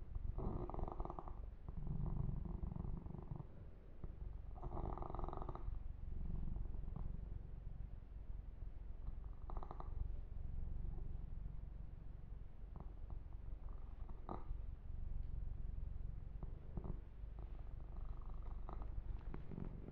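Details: A kitten named Yumak purrs continuously under a gentle massage, the deep rumbling pulse running the whole time, interrupted now and then by bursts of fur rubbing and brushing sounds close to the microphone.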